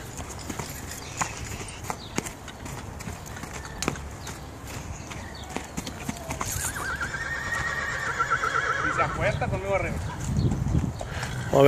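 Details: Friesian cross horse whinnying: a long, wavering, shaky call running about six to ten seconds in, over constant hoof clatter and men talking in Spanish.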